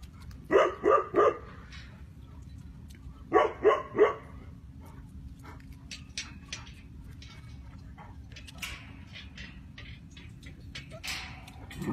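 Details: Tibetan Mastiff, listed alongside Gaddi, Mongol Bhankhar and Bhutia dogs, barking in two bursts of three rapid loud barks, then quieter scattered noises and clatter in the later part.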